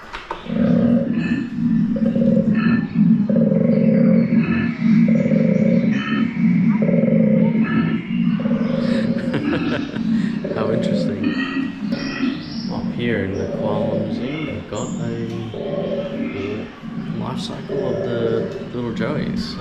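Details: Koala mating call played back at a koala museum exhibit: a deep, rasping bellow of rhythmic snore-like grunts, about three a second, growing rougher and more broken toward the end, with faint talk in the room.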